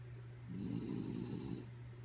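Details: Kaya Boo, a pet dog, asleep and snoring: one long, rough, rumbling snore lasting about a second, with a steady low electrical hum underneath.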